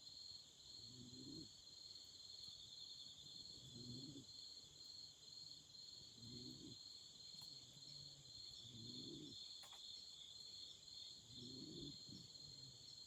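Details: Night chorus of autumn insects by a campfire, a continuous high shimmering trill without pause, joined by low muffled hoots repeating roughly every two and a half seconds and a faint sharp crack near the end.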